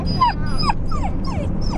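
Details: Twelve-week-old Australian Shepherd puppy newly brought home, meeting a Shiba Inu at play: five high, thin whines in under two seconds, each sliding downward, with low household rumble underneath.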